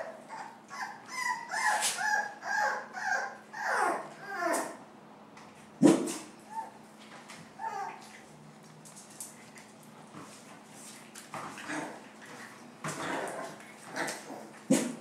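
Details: Dogs from a household family with puppies: a rhythmic series of high whimpering yips, about two per second for the first five seconds, then scattered yelps and short barks over a faint steady hum.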